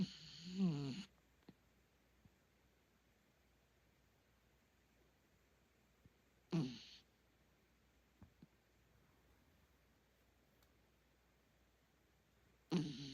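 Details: A miniature dachshund snores at night in a quiet room, a rasping breath roughly every six seconds.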